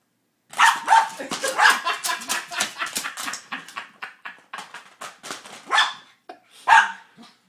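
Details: Rattling and scraping fill the background as Froto the dog plays hard with a cat toy, its ball stuck. Short, rapid barks and yips come in an uneven burst, ending with one louder bark.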